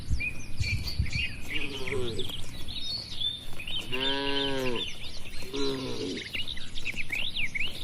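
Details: Tame, healthy cattle inside a farm barn: a short harmonic moo around the fourth second, followed by a briefer second low call, over constant chirping and twittering of many small birds in the background.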